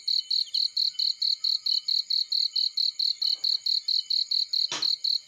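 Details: Cricket chirping in a field next to a fireplace: bright, high pulses repeated roughly four times a second, steady throughout, with one sharp crackle or click near the end.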